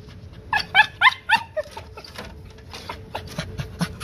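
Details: Cocker Spaniel eager to get into the garden for hunting, giving a quick series of high, wavering whines and yelps, loudest at first, then trailing into softer whimpers over a faint steady hum.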